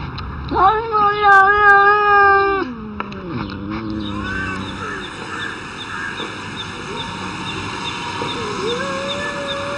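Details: Cats arguing, opening with a loud, wavering, nasal yowl of about two seconds, followed by lower, quieter growling moans and faint scattered mews over a steady background hum.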